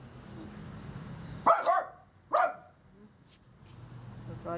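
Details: A stressed Yorkshire Terrier reacting to a gas delivery man, giving two sharp barks about a second apart amid low background hum, with people talking quietly nearby.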